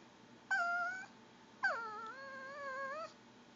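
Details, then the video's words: Two whines from a female Pomeranian that wants goldfish crackers: a short steady whine, then a longer one that starts high, drops, and holds a wavering gurgling tone for over a second. "pomeranian making gurgling whine noises"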